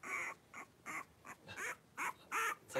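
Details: Five blenheim Cavalier King Charles Spaniel puppies, about three weeks old, wrestling and playing in an indoor puppy pen; a run of short high squeals and yelps, roughly seven bursts in under three seconds, some with rising or falling tones.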